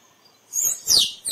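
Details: Two loud, piercing squirrel calls in quick succession, each a sharp high note sliding downward in pitch, over a quiet background; a recording meant for use in photography.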